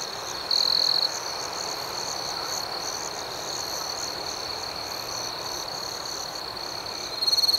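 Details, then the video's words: Crickets chirping at night: a continuous shrill trill with quick, uneven pulsing chirps above, and a closer insect's louder burst of trilling at about half a second and again at the very end. "Soothing Cricket Sounds"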